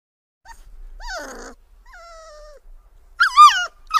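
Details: Puppies whining for milk: thin, high, drawn-out whines, some falling and some wavering, followed by a louder, shakier cry near the end and a brief final squeal.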